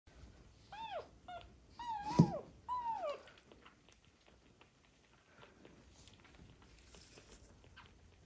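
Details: Sick street kittens, found abandoned in a box and suffering from ringworm, trichomonas and festering eyes, learning to feed from a bottle indoors. Several loud, falling, harmonic mews come close together in the first three seconds. Softer rustling and faint mewing follow.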